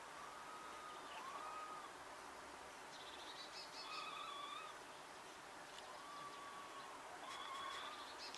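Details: Two wild female red squirrels calling to each other from a distance: drawn-out, slightly rising whistled notes with faint higher overtones, repeated about every one to two seconds against a quiet, hissy outdoor background.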